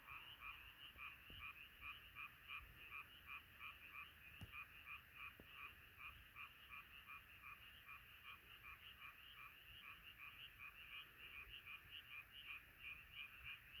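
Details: Frog chorus by night, with rapid rhythmic croaks repeated nearly three times a second in a regular pulsing pattern over a quiet background.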